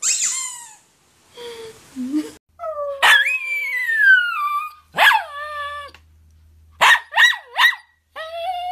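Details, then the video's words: Poodle, 2016 compilation of barking and howling: a varied string of high whines, sliding yips and one longer falling wail, separated by brief silences, ending in quick sharp yips. "POODLE BARKING - POODLE HOWLING AND BARKING COMPILATION 2016"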